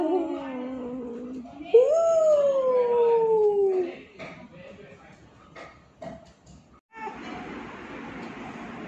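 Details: Pet cat Zurro, aged 2, said to be very angry by nature and also loving, utters a low moan that jumps into a higher sustained yowl falling gradually over two seconds. Quieter rustling and noise follow.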